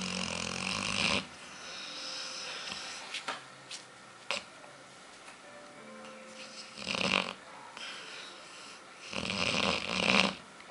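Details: Sleeping female dog Aila, nicknamed Lalá, dreaming with fast-moving eyes and seeming to want to run. Harsh, raspy snores rise in loud bursts about every two to three seconds, with quieter breathing between them.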